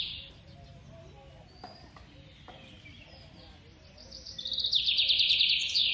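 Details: A young squirrel at feeding time: quiet opening, then a loud, fast series of shrill pulsed squeaks near the end, each burst slightly falling in pitch.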